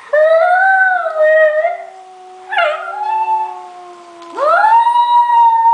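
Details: Scottish Terrier puppy, under a year old and excited by online videos, howling loudly: three sustained, clear, tonal howls, each rising at the start and then holding steady or sinking slightly, separated by short pauses.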